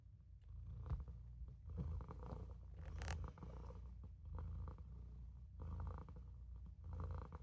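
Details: Purring Maine Coon kitten Olof dozing in a sink at home; loud low continuous rumble rising and falling with each breath, about one swell per second, plus a short rustling scrape midway.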